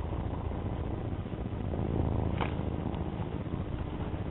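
A domestic cat purrs in a steady, low rumble, close and continuous throughout.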